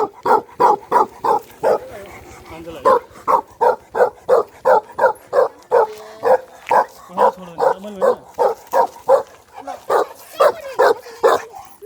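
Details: Nomadic shepherd's livestock guardian dog in the mountains of Nepal barking steadily, loud deep barks repeated about every half second with brief pauses, plus a short whining moan in the middle.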